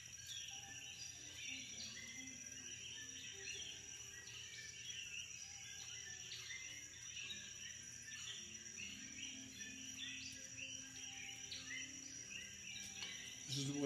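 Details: Night insect chorus on St Thomas, Virgin Islands: a dense, unbroken wall of high chirps and trills over a steady shrill tone, ending in a brief low thump.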